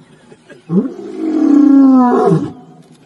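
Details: In the morning, a lion gives a deep, drawn-out roar that swells and then fades with a grunting finish.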